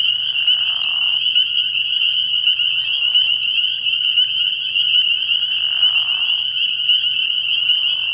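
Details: Early-year night chorus of spring peepers at a frog pond, a relentless wall of high, sharp peeps from many frogs, joined twice by brief softer, lower calls that swell and fade.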